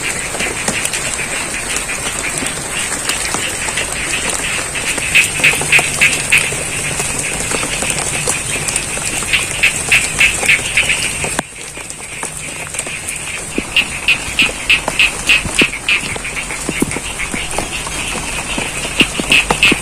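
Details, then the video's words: Frogs croaking amid rain in a paddy field in Ngadirojo, Pacitan, East Java; fast pulsed bursts come in rhythmic runs and pauses, the background rain easing partway through, while a high steady hiss continues. "Suara Kodok & Air Hujan - ASMR Sound of Frogs & The Rains"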